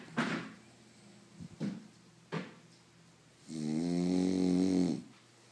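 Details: Snoring French Bulldog: a few brief soft snorts and clicks, then one sustained, rough, droning snore of about a second and a half in a quiet room.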